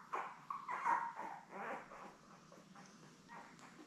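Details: Newborn Labrador Retriever puppies, a litter of seven born May 24, 2021, with mother Belle: a few soft whimpers and squeaks fading into quiet muffled fussing.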